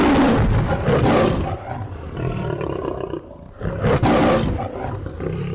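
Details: Lion roaring: loud, harsh, broadband bursts near the start and again around four seconds, with rumbling lower tones between them.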